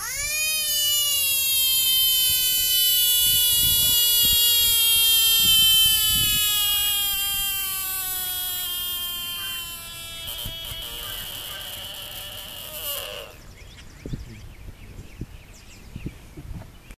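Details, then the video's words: Bullfrog found hiding in the sludge at the bottom of a koi pond during yearly cleaning, unhappy at being disturbed, hollering: a long sustained harmonic scream slowly sliding downward in pitch for about ten seconds, followed by scraping and handling noises. "Bullfrog siren"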